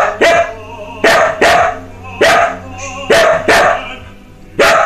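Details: A Samoyed singing along with an opera aria from Eugene Onegin, March 2016: loud, abrupt barks at uneven intervals of about half a second to a second, with orchestral music and voice continuing softly beneath.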